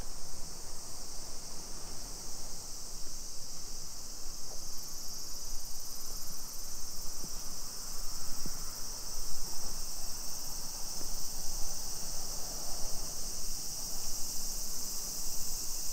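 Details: Summer cicadas singing in a suburban neighborhood of Nisshin city near Nagoya, Aichi Prefecture, Japan, at 2 PM on 28 July 2021: a steady, unbroken high shrill buzz filling the air, with low rumbling street noise and footsteps underneath.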